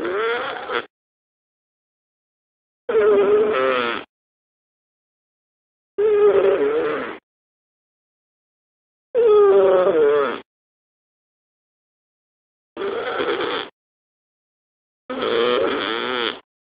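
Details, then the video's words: A sleeping cat snoring: six loud, rasping, buzzy breaths about a second long each, coming roughly every three seconds with complete silence between them. "SNORING CAT"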